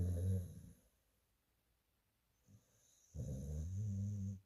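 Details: Rescue dog asleep, snoring with a low rumbling snore at the start, a near-silent gap, then a longer rough snore lasting over a second near the end.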